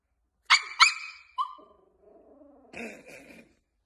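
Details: Jack Russell Terrier letting out two quick, shrill barks and a shorter yelp, then a drawn-out low whining murmur and a couple of softer, rougher yaps at the end.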